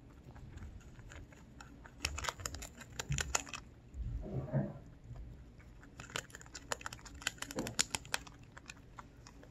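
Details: A Lionhead–Dutch mix rabbit eating, recorded up close, with bursts of rapid, crisp crunching clicks separated by quieter pauses.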